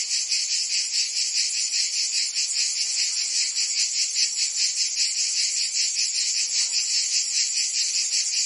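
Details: Cicadas singing in summer in Provence, France: a dense, continuous high buzzing chorus that pulses about two to three times per second, steady throughout with no other clear sounds.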